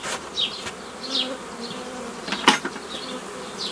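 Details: Honey bees buzzing as a hobby beekeeper forms nucleus colonies the old way from a previously formed forager swarm, 15 May 2018; a low, steady hum runs beneath repeated short descending bird chirps and one sharp knock midway.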